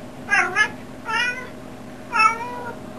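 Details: Domestic cat, one of the pair Leanna and Boo, meows three times about once a second, each call a bright harmonic wail, indoors over a faint background hum.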